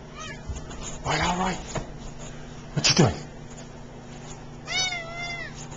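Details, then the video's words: F1 Savannah cat, a male that often talks, making chirpy rising-falling meows indoors: a wavering call near one second, a sharp cry near three seconds, and a high harmonic-rich meow near five seconds, with a person's voice between. "F1 Savannah Elroy Doing Some Talking..."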